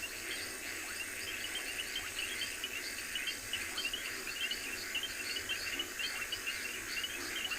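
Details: Reed frogs calling from a river in a South African game reserve during an October afternoon-to-evening safari, a dense chorus of short, high, clicking chirps that overlap continuously.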